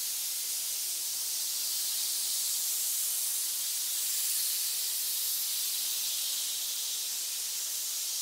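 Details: Hissing from a pit of snakes, a constant breathy, spray-like sound that swells a little midway and otherwise stays level, with no other sounds.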